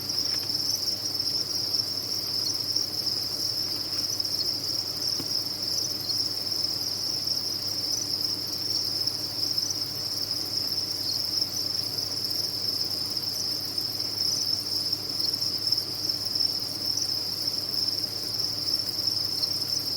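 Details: Many crickets on a cricket farm trill together without stopping, a bright, even, high shrilling sustained for the whole stretch, with low steady hum underneath.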